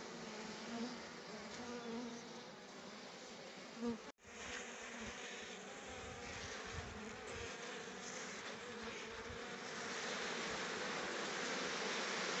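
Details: A thick swarm-like hum of honey bees foraging on rhododendron flowers for nectar; continuous buzzing, briefly broken by a short cut, then growing slightly louder toward the close.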